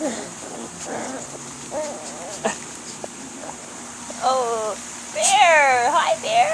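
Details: Swedish Vallhund puppies aged five to six weeks, a litter of ten recorded on May 20, give scattered short whimpers, then two longer wavering whines with rich harmonics, rising and falling in pitch, near the end.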